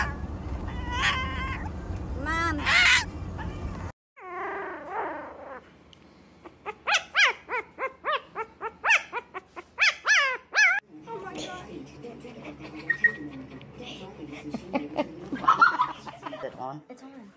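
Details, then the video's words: Puppies whimpering and yelping indoors: after a noisy start with voices and handling, a run of high, quavering cries with rich overtones repeats roughly once a second, then fades into softer whines under background rustling. "귀여운 강아지들"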